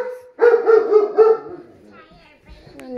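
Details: German Shepherd howling in response to tornado sirens: a series of four short, tonal, wavering woo notes with rich harmonics in quick succession, followed by quieter sound and a faint person's voice.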